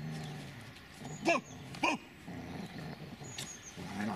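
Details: Dobermann Magmar Von Der Burgstätte lets out two sharp, short barks about half a second apart, each rising then falling in pitch, followed by low rumbling noise and a faint higher squeak.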